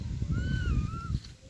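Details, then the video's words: Kitten with her mother cat: a single drawn-out tonal meow, level then gently dipping and rising before fading, with clear overtones, over low rumbling background noise. "Kitten and her Mom"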